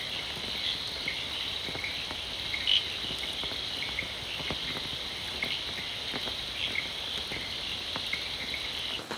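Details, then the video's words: At night in rain in the Sabarimala forest of Kerala, an elephant area, a dense, steady chorus of crickets trills everywhere, with frogs and rain mixed in. "آپ ہر جگہ کرکٹ کی آواز سن سکتے ہیں۔"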